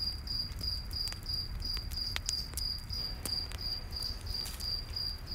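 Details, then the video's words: Cricket chirping in a night forest beside a campfire, a steady high pulsed chirp repeating about three times a second, with crackling fire pops and a low rumble underneath. "Campfire In The Night Forest w/ Cricket Sounds"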